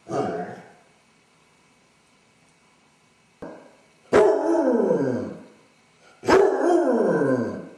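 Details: Dodger, a basset hound left alone indoors while his owners are out, suffering separation anxiety; a brief bay, pause, then two long falling howls about two seconds apart, each starting with a sharp bark-like onset and sliding downward.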